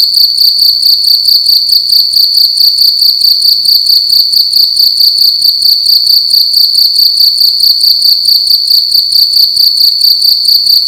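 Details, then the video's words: Loud cricket calling inside a room during the night, a continuous high-pitched ringing chirp of fast even pulses, unbroken throughout, little else audible. "Cricket making loud sounds at night in a room"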